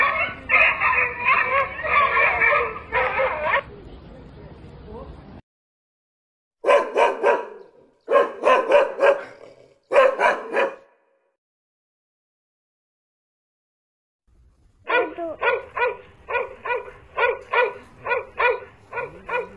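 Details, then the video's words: Puppies bark in busy runs of high yaps and yips, broken by gaps of silence, ending with a fast, regular series of short sharp barks. "Cute puppies - animals sounds - Dog sounds"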